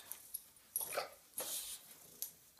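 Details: Georgi the bulldog harasses a sleeping American Bulldog named Kuba in the bedroom, giving a few separate barks, one with a clear tonal ring, spaced by short pauses amid room noise.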